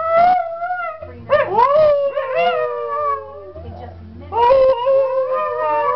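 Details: Dog howling in several wavering, drawn-out tones that rise and sag, in three main bursts with short breaks, plus a low background hum throughout.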